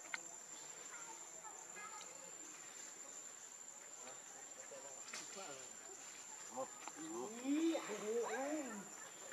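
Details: Young monkey Leo pleading with its mother for milk: after quiet murmuring, loud bending whines rise and dip near the end, backed by a constant shrill insect tone.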